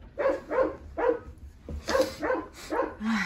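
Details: Rottweiler pups, eleven in all, hungry after deworming and clamouring for food. About nine short squealing yelps repeat at a quick, uneven pace, with one lower drawn-out whine at the end.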